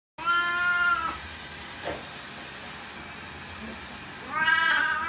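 An Oriental Shorthair cat gives two long, nasal, harmonic-rich meows separated by a pause.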